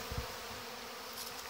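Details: Honey bees on their August orientation flight, many young bees around the hive: a steady buzzing swarm hum, a brief low bump at the start and a hissing close pass near the end.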